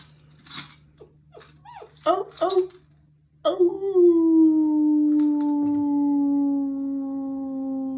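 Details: German Shepherd pups just finished breakfast, recorded 21 January 2022, joining a howl a person started: soft whimpers and short yips first, then one long, steady, slightly falling howl that holds for about four seconds.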